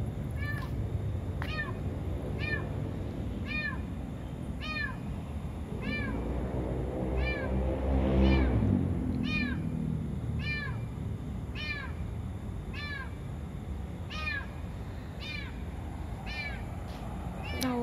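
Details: A trapped stray domestic cat caught in a car's engine compartment in a parking lot at night, crying for help; short high meows repeat steadily about every second over low traffic-like rumble, with a woman's voice briefly audible.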